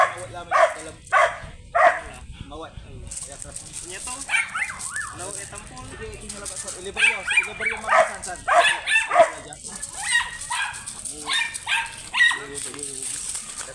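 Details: Grey sable Belgian Malinois at a stud service in Bisal, Manaoag, Pangasinan, giving three short sharp barks in quick succession, followed by further clustered barking mixed with people talking nearby.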